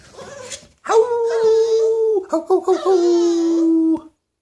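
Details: A Boston terrier howls indoors: one long, steady, tonal howl lasting about three seconds, holding a level pitch before a brief wavering break, then sinking slightly lower to the end. A short faint noise comes before it.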